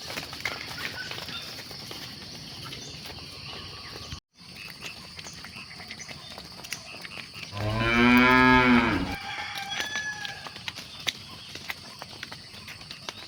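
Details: Cattle on an evening herd at sunset; after a quiet stretch of faint rural background and a brief dropout, a single loud, sustained moo with a full ladder of harmonics lasts over a second, then fades to soft ambience.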